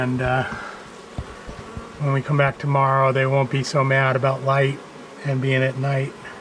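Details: Agitated honey bees from a long-time wall colony during a March 6 rescue cutout after dark; a run of close, intense buzzing passes, some wavering in pitch, broken by short gaps of low background droning.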